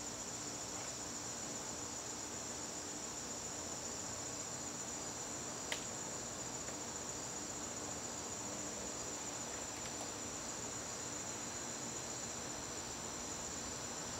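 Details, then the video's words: Crickets calling in a garden during September evenings: a continuous shrill, even trill without pauses, one sharp click near the middle, and a soft low background hum. "garden crickets"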